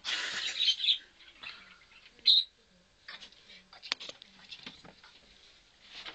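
A chinchilla gives short, high squeaks among faint rustling and clicking.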